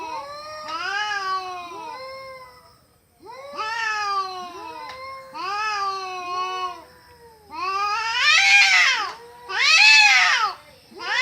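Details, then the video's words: Cats fighting with horrible wailing: repeated bending yowls in clusters, growing louder and shriller toward the end with two intense screaming bursts. "cats fighting with horrible sound"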